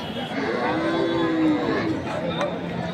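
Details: Cattle at the Khochabari weekly market in Thakurgaon, Bangladesh, on 25 February 2025, where large bulls are sold for meat. One long, low, drawn-out moo swells mid-clip over crowd chatter and a man talking.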